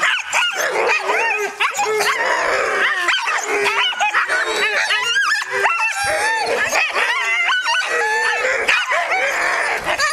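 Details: Alaskan malamutes and huskies, five arctic dogs in sled training with a three-wheel scooter, yelp, yip and howl together in an excited, overlapping chorus of high wavering cries and sharp barks, continuous throughout.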